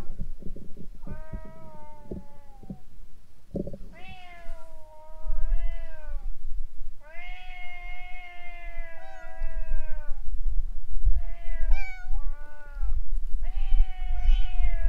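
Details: Fighting stray cats in front of a boat: after a quieter start with brief cries, sustained loud yowls build, held for several seconds with wavering pitch, then choppy rising howls, low background rumble.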